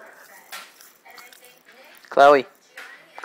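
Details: Chloe, a two-month-old miniature schnauzer puppy exploring her new home indoors, gives one short, high, yelping bark; a person repeatedly calls her name in a quiet room, with light clatter around.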